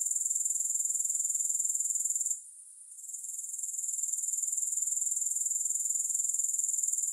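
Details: Grasshoppers chirring steadily, high and hiss-like with rapid regular pulses; the sound cuts out for about half a second midway, then swells back to full strength.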